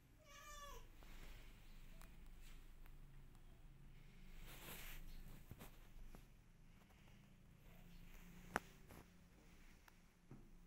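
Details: Mother cat trying to escape from her new house, missing her old one, gives one short harmonic meow at the very start, then falls quiet against a low indoor rumble and scattered faint knocks.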